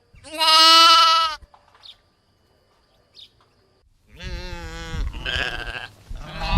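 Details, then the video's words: Sheep making baaing and bleating sounds: one strong, steady bleat lasting over a second, then silence, then a rougher run of overlapping, quavering bleats. "SHEEP SOUNDS FOR KIDS EDUCATION - Baaing, Bleating, Yelling & Screaming HD Sounds"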